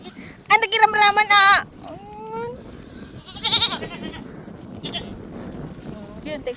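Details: Pet goats at home giving a loud, trembling bleat of about a second, a short rising call, then another quavering bleat, with quieter bleats later over a steady background hiss.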